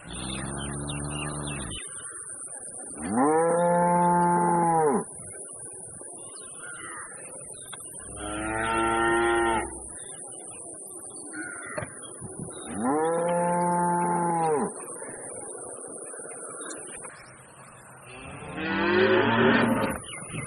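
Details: Very big bull from Pakistan bellowing again and again: five sustained, rich moos of one to two seconds each, some rising then falling, spaced a few seconds apart, with quieter grunting noise between calls.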